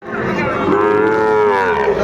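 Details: Sahiwal bull calf at the Raniganj cattle market on Thursday, 9 January 2025, as a Dhaka farmer buys calves. One long, steady moo lasts about two seconds, holding level and dipping slightly at the end, over faint market chatter.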